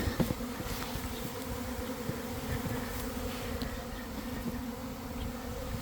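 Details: Honey bee swarm forming beside a hive in a garden around one in the afternoon, following a week of cold and damp; steady dense droning buzz of countless bees, with a few sharp handling knocks at the start.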